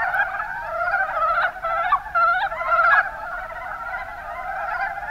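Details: Rana ornativentris, the Mountain brown frog, in the Kuma Basin, Kumamoto, Japan; stuttering, knocking croaks pile up in a busy chorus, loudest around the middle, then a steadier murmur of calls.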